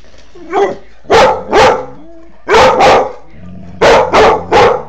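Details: Three-year-old female Doberman Pinscher named Maxie barking indoors, angry at a foster puppy: loud, broadband barks mostly in pairs, with short gaps between pairs and faint whining or tonal sounds in the background.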